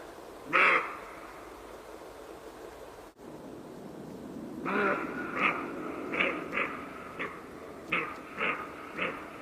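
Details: Roe deer voicing one loud harsh call, a pause, then a series of about eight shorter hoarse barks at uneven half-second to second intervals, against a soft hiss.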